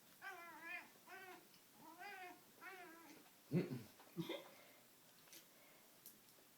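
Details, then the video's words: Pet cat Rusty Bee getting intense while playing with his string toy, giving four drawn-out wavering meows at steady intervals, then a couple of thumping knocks and faint rustling indoors. "Cat yelling at cat toy"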